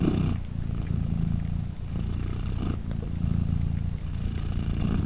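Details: British Shorthair mother cat purring while her three 3-day-old newborn kittens nurse; a deep, steady rumbling purr with alternating breath phases, a breathier hiss-like phase recurring roughly every two seconds.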